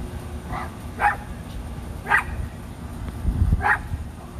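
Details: Two Rat Terrier siblings, Bandit and Jewel, playing in a back yard; sharp barks come at roughly one-second intervals, four in all, over a low background rumble.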